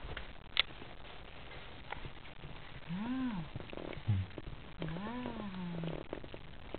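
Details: Italian Greyhound puppies, 24 days old, eating minced beef with egg yolk; two drawn-out whining cries that rise and then fall, rich in overtones, near three and five seconds, over steady background hiss with a sharp click early on.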